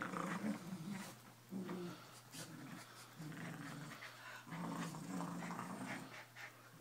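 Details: Two Keeshond dogs playing tug of war, giving low rumbling growls in bursts of about one second, with short breaks between them and faint panting and scuffling noises alongside.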